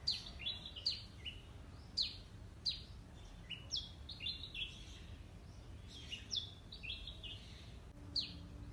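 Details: Squirrel calling, captured with a Nikon D5600 camera and Tamron 70-300 mm lens, giving a steady run of piercing downward-sliding chirps, often paired, spaced roughly every half second to second, over quiet low rumble.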